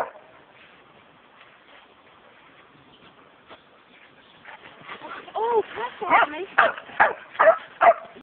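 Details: Samoyed dog, nearly four years old, at Chessel Bay, Bitterne Manor, Southampton, England, recorded on a low-quality phone; after quiet background, a rising series of whiny, yodelling vocalisations and barks builds over the last four seconds.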